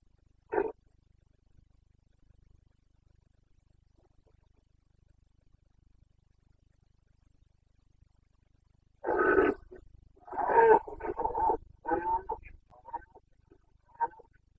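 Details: Rutting Carpathian red deer stag, Bucovina mountains, 29 September 2022 breeding season; one short hoarse grunt early, long quiet, then a rough extended roar breaking into several throaty pulses.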